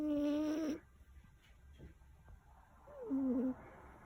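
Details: A sleeping black cat named Kuro, whose nose has been congested since birth, gives two loud, reedy, humming snores with a wavering pitch. The first is long and steady, the second shorter and wobbling, separated by quiet breathing.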